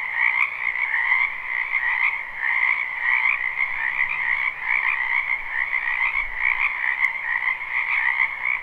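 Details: In a wetland during spring, a crowd of frogs croaks nonstop in a live, unlooped recording: a thick wall of buzzing, pulsed trills at two pitches, plus a couple of sharp ticks.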